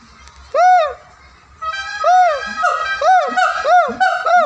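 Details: Siamang calling loudly: a run of arched, tonal hoots, each rising then falling, about six in under five seconds, rich in overtones, the later notes coming faster and overlapping, with faint low pulsing in the background.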